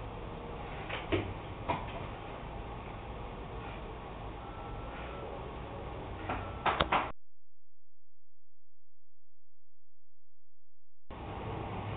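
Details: Steady low hum with scattered knocks and clicks, then a four-second dropout to silence before the hum resumes.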